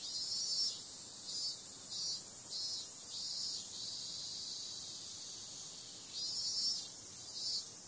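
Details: Cicadas on a summer night: a dense, high-pitched buzzing drone swelling into rhythmic pulses about every half second, with a steadier, flatter stretch in the middle before the pulsing returns.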